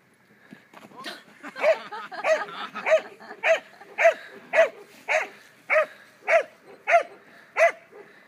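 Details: German Pinscher, two years old, barking during protection training: a steady string of about eleven loud, clipped barks at roughly 0.6-second spacing after a few quieter opening yaps.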